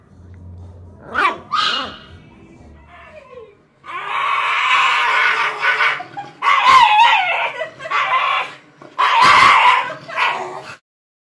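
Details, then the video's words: A Shiba Inu dog gives loud, harsh screaming yelps: a few short squeals, then three long, raspy, wavering screams separated by brief pauses, indoors. "EVERY SOUND A SHIBA INU MAKES IN UNDER 2 MINUTES"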